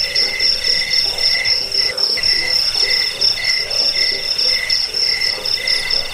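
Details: Cricket trilling, meant to chase off rats, ease sleep and serve as a model for training birds; dense high-pitched pulses come quickly, nearly four per second, with one brief dip midway.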